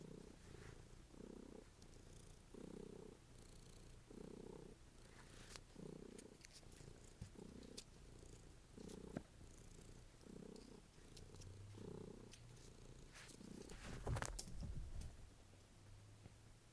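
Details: Domestic cat purring loudly while fetching and exercising; a steady low rumble pulsing in and out about every second and a half, with light clicks and rustles between breaths.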